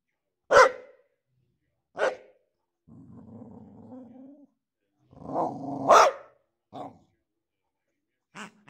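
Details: The Boxer Boryś with his new pig toy gives a sharp bark and a second bark, then a low, rough growl of about a second and a half. More barks follow, one overlapping a short growl, then a few softer woofs.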